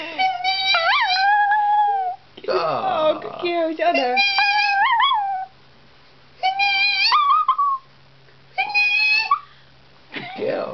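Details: Pet dog Penny gives little howls triggered by high-pitched noises: sustained, rising-and-falling whining notes in several bursts, with a stretch of speech and squealing mixed in near the middle.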